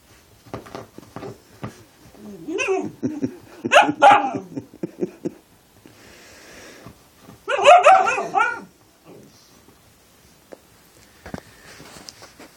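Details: Siberian Husky puppy playing with his father indoors, giving two loud, harmonic, yowling bursts near four and eight seconds, wavering up and down, between softer grumbles, snuffles and thumps of play.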